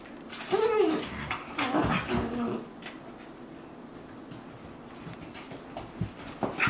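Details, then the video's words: Two Akita Inu, aged 14 months and 2 months, at play indoors; a rising-falling whining yelp near the start, then harmonic whines and growls around two seconds, quieter scuffling, and short sharp yelps at the end. "Akita Inu | Playing Sounds"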